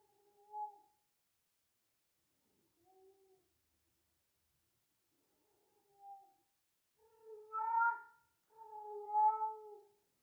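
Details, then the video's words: Female cat in heat, possibly a Persian, calling in a quiet room: three soft, short meows spaced a few seconds apart, then two louder, longer wailing calls back to back at the end. "cat in heat sounds female"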